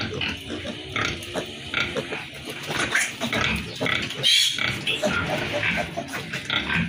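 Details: Piglets on a pig farm, a dense chorus of overlapping high squeals and grunts running without pause, with a possible human voice mixed in.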